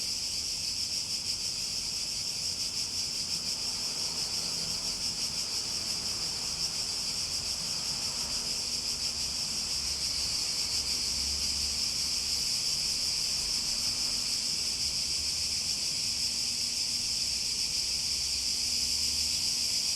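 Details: Cicadas in a nature setting: a steady, shrill, high-pitched drone that holds unbroken and even for the whole stretch, with only a faint low hum underneath.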